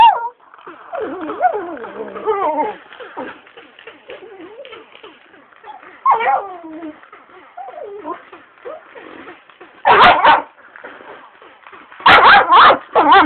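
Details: Pestered Shiba Inu makes long, quavering, drawn-out whining moans that wobble up and down, then short loud yelping bursts near the end, with faint background rustle.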